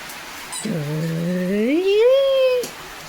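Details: German Shepherd named Leo at home during heavy evening rain, giving one drawn-out tonal whine about two seconds long that starts low, holds steady, then slides smoothly upward and cuts off sharply, with quiet background noise.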